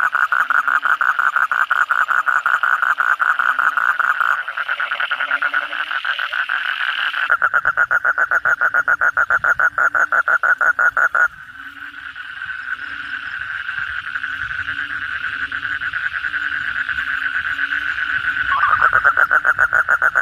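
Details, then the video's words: Many kodok bangkong calling at night after a heavy downpour: nearby Asian common toads deliver long, evenly pulsed rattling trills in several stretches, alternating with a softer buzzing background chorus and low soft notes. "suara kodok bangkong pada gacor setelah hujan lebat malam hari"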